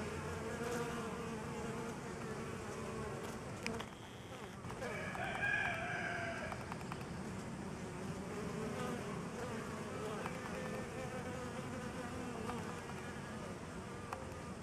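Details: Honey bees feeding on a homemade pollen substitute produce a constant low droning buzz; a rooster crows briefly in the background partway through, and a few soft knocks are heard.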